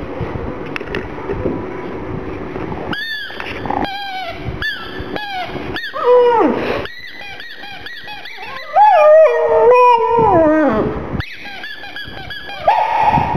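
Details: Sad about a little ball, black pug Gong Fu cries: a quiet opening, then clusters of short sharp yips, wavering drawn-out whines sliding down, and more staccato squeaks toward the end.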